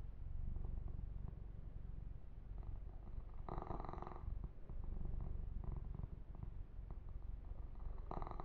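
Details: Young male house cat purring continuously during a massage session, a deep, even rumble, with two louder swishing strokes of fur grooming breaking in near the middle and the end.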